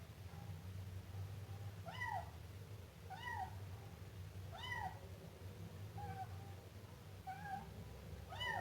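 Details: Siamese kitten meowing indoors: about seven high, arched meows, each rising and then falling, spaced roughly one to one and a half seconds apart over a steady low hum.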